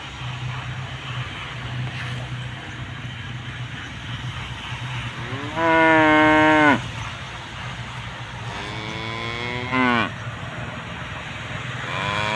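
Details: Tame cows grazing with their calves; two loud, harmonic moos, the first about a second long, the second shorter and rising then falling, over steady low engine-like rumble and grassy background noise.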